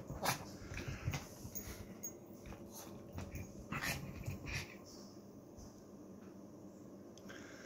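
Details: Morning sounds from Betty, a small teacup Chihuahua puppy indoors: brief yips and whimpers cluster in the first half, then fade to quiet room noise.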